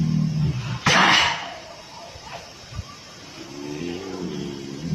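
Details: Tiger (Panthera tigris), sneeze.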